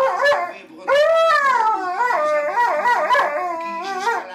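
A Siberian husky gives a drawn-out, tuneful howl that swoops up, holds, then breaks into shorter wavering notes. Faint steady tones, likely music, hum underneath.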